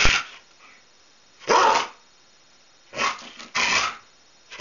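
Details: Whippet play-fighting with another dog over a favourite toy; short, rough, broadband growling bursts at irregular intervals, about one to two seconds apart, with quiet gaps between.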